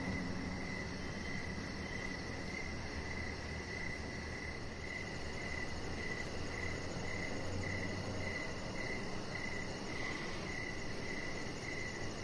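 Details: Crickets chirping in the evening beside a deck where a chihuahua puppy lies under decoration lights: steady, evenly spaced mid-pitched chirps, a faint very high rapid pulsing trill above, and a constant low rumble underneath.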